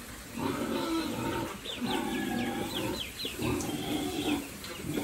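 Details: Farm pigs raised by a family for sale, calling in drawn-out, nasal, harmonic squeals and grunts that come in bursts about every second. High, sweeping chirps run above them throughout.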